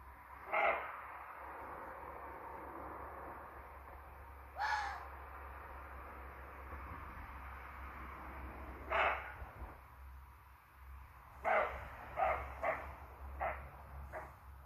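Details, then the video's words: Young roe buck during the rut at 2 a.m., challenging in the forest as the supposed dominant buck; scattered hoarse barks, single then a closer run of several short ones, over steady low hum and background hiss. "Rehbock bellen, schreien"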